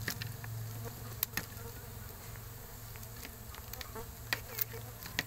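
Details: Low continuous hum of stingless bees during a honey harvest from a coconut-shell hive, the drone holding steady throughout while sharp taps and clicks of handling break in now and then.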